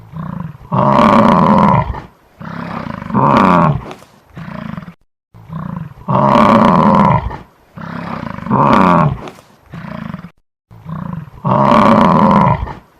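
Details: Repeated deep, hoarse buffalo bellows, about ten strong harmonic calls that alternate between longer roars and shorter grunts, with short quiet gaps between them and a clean background.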